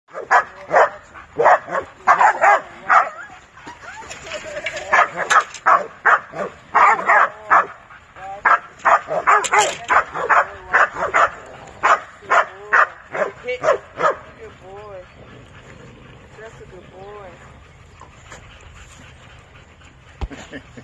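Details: Cane Corso, a male dog showing off, barking in a steady series of deep, punchy barks, several per second for about fourteen seconds, then quieter with a few whining, wavering calls near the end; a person's voice is mixed in.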